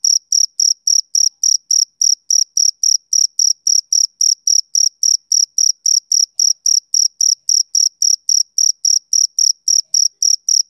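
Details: Male cricket chirping on a summer evening: steady, high, bright chirps repeated about three to four times per second with a faint higher overtone, evenly spaced and unbroken, with no other sounds in the background.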